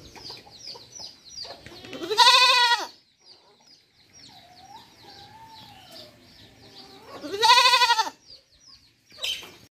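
A young goat gives two loud, quavering, high-pitched bleats several seconds apart.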